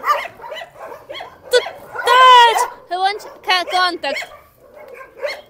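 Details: At a dog shelter, scattered short barks give way to a drawn-out, high, wavering howl-like yelp in the middle, followed by clipped barks and quieter yips.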